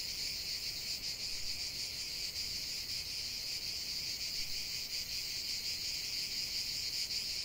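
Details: Singing cicadas, a constant piercing buzz layered from many insects, evenly sustained throughout with faint rhythmic pulsing.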